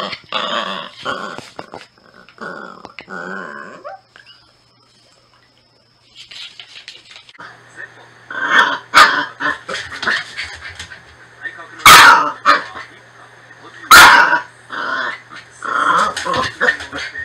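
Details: Norfolk Terrier indoors, heard in short rough growling bursts and whiny vocal stretches, with sharp louder yelps around the middle and end, separated by brief pauses; a steady low hum runs underneath.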